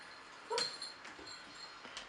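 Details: Vizsla dog whimpering while doing a gift trick: one brief high whine with a clear tonal squeak, followed by softer faint whimpers in a quiet indoor setting.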